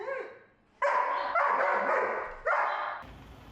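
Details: German Shepherd in boarding training in New York, barking less than before while crated; two loud harmonic barks around the first and third seconds, a trailing bark between them, then quiet room noise.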